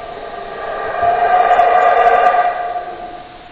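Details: A short burst of howler monkey howling: a raspy, sustained roar that rises steadily, holds strong for about a second and a half, then fades.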